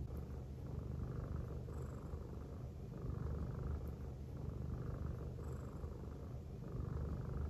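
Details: Female silver tabby American Shorthair purring contentedly on its owner's belly; a low, even rumble swelling and easing with each breath, about every one and a half seconds.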